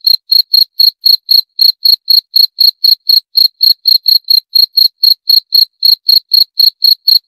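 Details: Steady cricket calling: high, clean chirps repeated about four times a second in an unbroken, slightly uneven rhythm, with no other sounds in the background.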